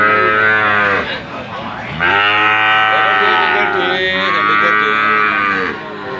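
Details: Three rich, harmonic moos come from a calf. The first is brief and falling, and the next two are longer, steadier and sweet-toned, with small gaps between them.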